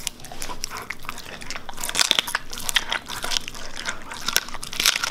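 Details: Siberian Husky chewing raw meat and bones, chicken given as a reward: dense, continuous crackling crunches and grinding with sharp clicking bites clustered near the middle, indoors.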